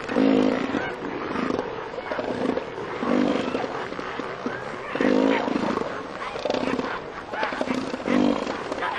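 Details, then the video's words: Two southern elephant seal bulls fighting over mating rights for females; deep, throaty pulsed roars come in bursts about every one and a half to two seconds, with a broadband rumble of wind or surf beneath. "Southern Elephant Seals fighting over territory"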